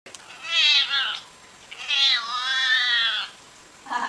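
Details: Domestic cat giving two drawn-out, wavering meows, the first short and bending downward, the second long and sustained with a slight rise and fall, then a faint start of a third. The room is otherwise quiet.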